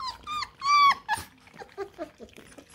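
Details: Eight Bluetick Coonhound puppies at feeding time, eating kibble indoors; a few high, drawn-out whines, the longest rising then falling, followed by softer murmuring sounds and a person talking and laughing nearby.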